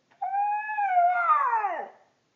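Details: A male Siberian Husky, prompted by his owner to "sing", gives a single drawn-out howl, steady and tonal before wavering and dropping away.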